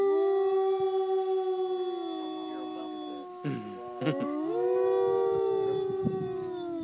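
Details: Renki the dog in a long, steady, mid-pitched howl with several overlapping tones, broken midway by a few brief clattering noises before the howl swells again.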